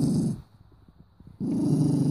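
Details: Sangoy, a mini doberman in Cyprus, growls and shows his teeth at his owner when offered food; two low, rough rumbling growls bracket a near-silent pause, with faint soft sounds between them.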